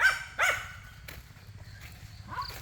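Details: A pet dog, urged on by its owner to scare off monkeys, gives two quick sharp barks at the start, followed by quieter rustling and a faint distant call outdoors.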